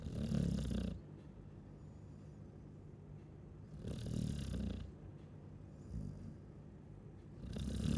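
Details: Chow Chow dog snoring while asleep: deep, rasping low-pitched snores in slow bursts about every three to four seconds, with quiet breathing between them and no other sounds.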